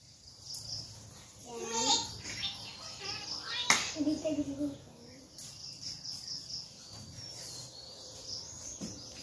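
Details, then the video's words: Baby goat held by a village girl, giving a quavering, wavering bleat near the two-second mark and a shorter cry later, over a steady high insect buzz and a girl's soft voice. "Baby goat making the cutest noise"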